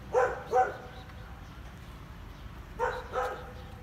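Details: On a sunny day, a small domestic dog rushes out near its home, barking loudly to scare a dog passing on the road: sharp, mid-pitched barks in two quick pairs.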